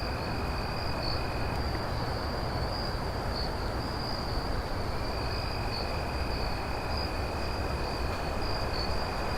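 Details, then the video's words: Night crickets keep up a continuous shrill trill, while a second, lower trill drops out early and returns midway; a dense low-frequency rumble fills the background. "crickets night sound effects"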